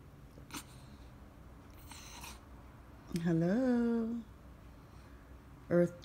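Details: French Bulldog pressing to go out for his morning walk indoors: one sustained, wavering, talk-like groan of about a second that rises then sags, with a brief second vocal starting at the close; soft rustles earlier.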